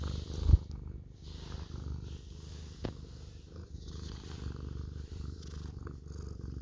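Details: Orange house cat keeps asking for cuddles and purrs steadily; an even, low vibrating rumble fills the whole stretch, with a brief knock near the start and a light click midway.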